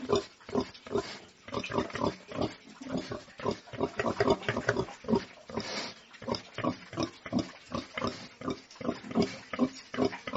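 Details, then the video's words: Pigs on a farm producing a steady string of short, low, rough grunts, roughly two to three per second, fairly even in loudness. "SOUND OF PORK - PIGS ON THE FARM"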